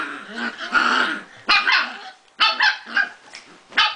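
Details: Prague Ratter dog while playing: a run of sharp, high yaps and squeaky yips mixed with short growly whines, coming in uneven bursts about every half second to second.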